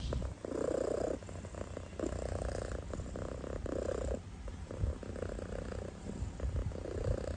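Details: Sleeping kitten snoring with soft, rhythmic rasping breaths, each lasting about a second and separated by brief pauses, low rumbling throughout.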